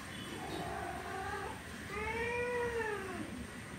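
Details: Orange male cat wanting to mate with a female gives two drawn-out yowls: a flat, wavering cry, then a longer arched wail that rises and sinks again, over a steady background rumble.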